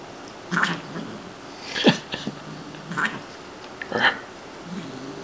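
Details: Shiloh, a playful female Siamese cat, at playtime indoors over several days; a run of four rough, breathy hissing bursts, roughly one every second, one with a lower growly edge, in a quiet room.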